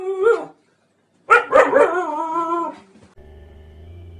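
A Siberian Husky gives a short bark, then a drawn-out, wavering whine-howl.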